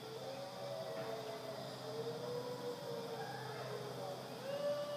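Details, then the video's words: A dingo howls in long, steady, mid-pitched tones that slide gently up and down, at Wirrimbirra Sanctuary, Tahmoor, NSW, Australia. "Dingo Howl"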